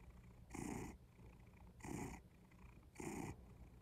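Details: Cat purring up close, three rhythmic breathy pulses about every 1.2 seconds, each a rough buzzing burst with soft low rumble between, quiet and steady.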